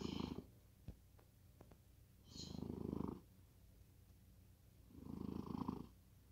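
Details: Domestic cat deep asleep, snoring in a slow rhythm: three low, rough breaths roughly every two and a half seconds, with a few sharp clicks between the first two.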